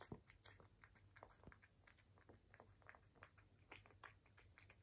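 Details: British Shorthair cat eating indoors in a small room, quiet ASMR recording: soft, irregular crunching and chewing clicks in quick bursts over a low steady hum.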